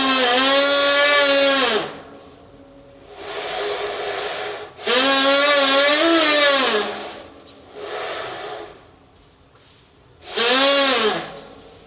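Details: A female Asian elephant at Kamine Zoo makes loud, reedy, buzzing squeaks by blowing air into a small, narrow gap.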